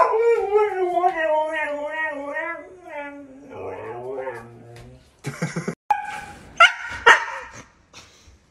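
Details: Husky dog yodels a wavering howl for about three seconds, its pitch pulsing rapidly up and down, then fades into murmuring; afterwards come scattered clicks, short yips and a human voice.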